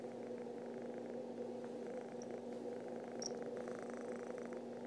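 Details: Contented domestic cat purring steadily while waking its owner in the morning, a continuous low rumbling drone with even texture throughout, a few faint high chirps in the background.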